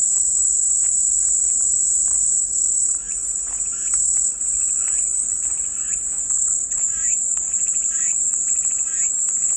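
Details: A dense, high-pitched cicada buzz fills the whole stretch without pause, with a few brief dips in loudness and faint chirping notes in the background.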